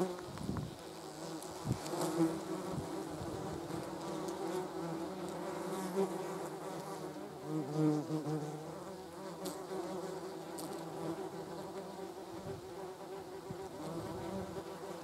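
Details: German wasps, also called yellow jackets, feeding on a jar of jam: a continuous droning wing buzz with overlapping tones around a low hum, wavering as insects move, plus occasional soft knocks and clicks.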